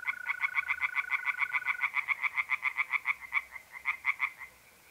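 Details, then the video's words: Pond tree frogs calling by night in mid-April, north-east Italy, in a quick rhythmic series of nasal croaks, some overlapping; a smooth continuous mole cricket trill runs beneath the opening seconds. "relaxing singing tree frogs in pond"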